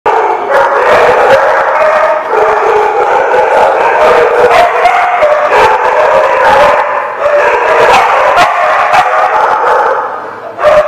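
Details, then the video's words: Dogs barking together in a dense, continuous chorus on 8/7/15, overlapping barks merging into a steady wall of sound with sharp individual barks cutting through throughout. "The Barking Lot"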